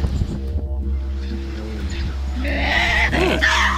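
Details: Tasmanian devils at a wildlife park near Port Arthur, Tasmania, about to be fed, break into harsh, raspy screeching as they turn aggressive toward each other over food.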